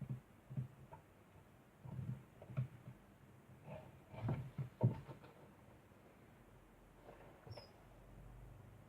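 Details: Degu making a constant sound indoors: a run of low, grunting, chattering pulses, irregular and about two a second, with a few brighter squeaky notes in the middle and quieter rustling toward the end.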